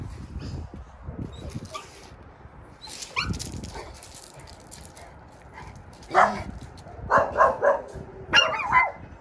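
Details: Maltese x Chihuahua cross confronting a mastiff with high-pitched barking: a quieter stretch of faint sounds and human voices, then sharp, shrill yaps in quick bursts during the last three seconds.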